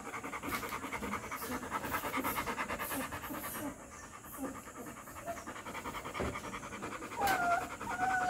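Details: Three-week-old Rottweiler puppy panting in quick, steady breaths, roughly seventy-odd per minute, with a couple of thin wavering whines near the end over a faint background hum.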